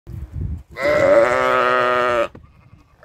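A sheep gives one long, wavering bleat lasting about a second and a half.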